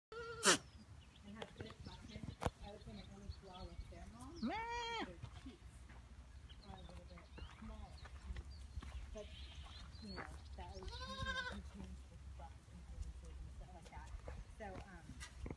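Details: A two-week-old Nubian goat kid gives two wavering, nasal bleats over faint background voices.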